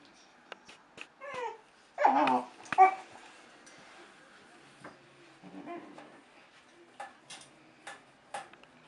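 A hungry Basset Hound puppy whines and yelps in short, wavering bursts, begging for its dinner.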